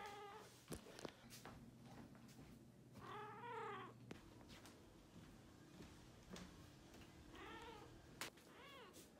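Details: Vocal Balinese cat giving two long wavering meows with arched, rich harmonics about four seconds apart, plus a brief closing call, over a constant low hum and occasional clicks and thumps.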